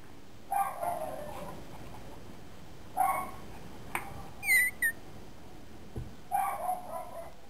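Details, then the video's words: Young Boxer puppy letting out a few short yelping barks spaced about three seconds apart, with a brief high squeak and a sharp click between them. "Filhote de Boxer"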